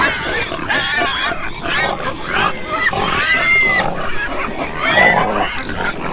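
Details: Pigs on a farm, several animals calling together: harsh, high squeals overlapping with rough grunts, loud and nearly continuous through the clip, with brief pitched whines rising and falling.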